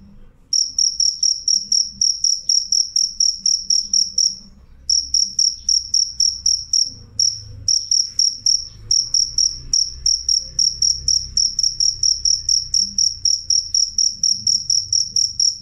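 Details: Cricket calling loud and clear: a shrill, high ringing trill pulsed in rapid chirps about four per second, with brief gaps near the start and middle, over faint low background rumble.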